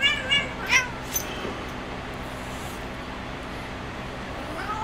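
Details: Spazzo, a female cat, playing on her cat perch; a couple of short, bright harmonic meows sound in the first second, followed by near quiet with a faint steady room hum.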